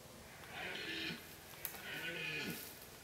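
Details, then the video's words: Deer roaring during the rut in Kopački rit Nature Park, Croatia, a strict reserve with no hunting. Two drawn-out, harmonic, hoarse roars bend downward, each about half a second, separated by a short pause, against open-air background hiss. "Massive deer roar in Kopacki rit, Croatia - Masovna rika jelena u Kopačkom ritu"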